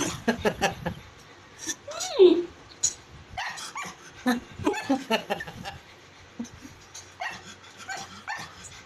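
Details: A male pug whines and yips because he wants to go to his owner but thinks he is tied. The call is high and rising, with short bursts spread over several seconds, and laughter and a voice come between the calls.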